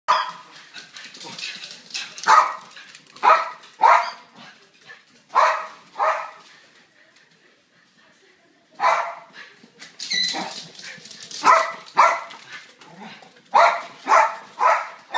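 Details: Two pet dogs, a boxer named Rockie and a silkie terrier named Pumpkin, chase each other around a house over a stolen toy ball, giving short loud playful barks in irregular bursts with a quiet pause midway.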